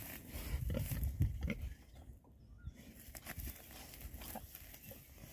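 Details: Oxford Sandy and Black pigs, six males of this rare breed, on a winter forage between storms; a cluster of low, rumbling grunts in the first two seconds, then quieter snuffling and rustling.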